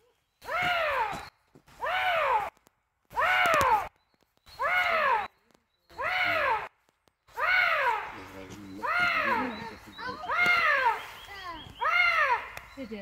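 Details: Repeated moaning wails from a Eurasian lynx, nine arched harmonic cries spaced roughly every one and a half seconds, evenly at first, then longer and running into one another toward the end.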